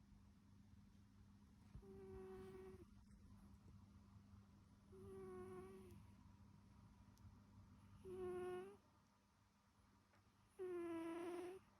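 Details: Snoring American Shorthair cat, a domestic pet: four steady, whistle-like nasal tones rich in overtones, each lasting about a second and recurring roughly every three seconds, over a faint low background hum.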